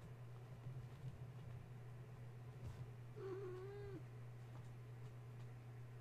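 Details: A kitten from Gaia's litter, awake and restless at bedtime after a space heater was switched on nearby; one drawn-out wavering meow lasting under a second, otherwise quiet apart from a persistent low droning hum.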